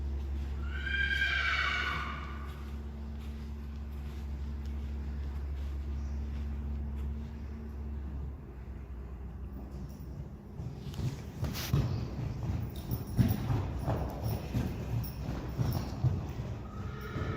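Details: Friesian horse filly Myrthe, one day old, born March 14, 2020, out in the arena for the first time with her dam Richtsje; a loud harmonic whinny falling over about a second opens, then steady low rumble, hoof thuds and scuffing later.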